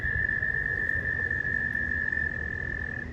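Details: Frogs calling from a small pond during mating season, heard at close range while swimming around: a steady, high, unbroken trill-like tone held for about three seconds over a low background rumble.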